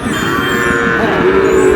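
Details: Sahiwal bull calf, Dhaka, 16 March: a lower, muffled moo with a steady tone that swells toward the end, set against background bustle and voices.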